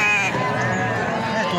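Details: A gibas sheep bleats, quavering and harmonic-rich, at the Babat goat market in Lamongan. A brief cry opens and a sustained bleat carries on under loud market babble and voices.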